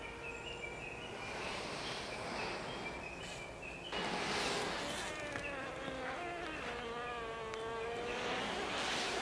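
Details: Japanese honey bees inside a hive box during swarming season, recorded 20 April 2022 as new queens keep emerging after the second swarm. Several overlapping steady, buzzing tones with many harmonics sound over a dense hum, growing louder midway.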